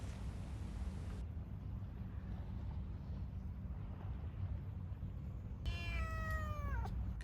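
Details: White kitten met on a coastal trail near Sinhwangjeong, South Korea, around midday, crying for food: after several seconds of steady wind and rumble, one loud, drawn-out, falling meow lasting about a second.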